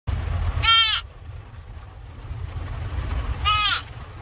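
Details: Deer fawn after being rescued, giving two short, high, nasal bleats about three seconds apart, each slightly arched in pitch, over a steady low rumble.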